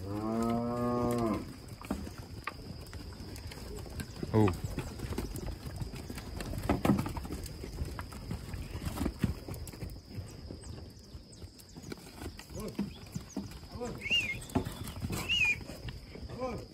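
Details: Nelore and Aberdeen-cross bull calves in rearing: a rich, low moo opens, followed by scattered thumps and knocks with a few short, higher cries near the end over a constant high-pitched whine.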